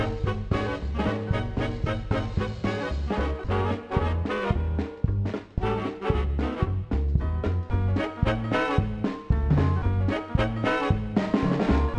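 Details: Lively swing music plays throughout, led by brass with a bouncing bass line and regular beat. No barking or other animal sounds come through.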